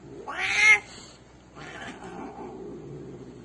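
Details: A "talking" cat from a Turkish funny-cats compilation lets out one loud, rising-then-falling meow with a strained, caterwauling edge, followed by a softer, breathy trailing call and faint room noise.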